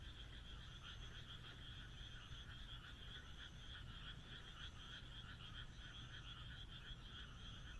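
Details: Countryside frog chorus in Japan under a moonlit night sky, with many overlapping rattling croaks pulsing quickly and evenly in two high-pitched layers throughout, and a soft deep background hum.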